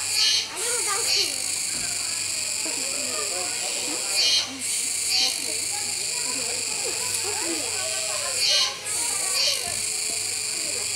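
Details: Kuroiwa cicada chorus at an Okinawa zoo park on 16 October 2021, where a capybara feeds: piercing, steady buzzing with regular double accents every few seconds, plus lively children's voices and chatter below.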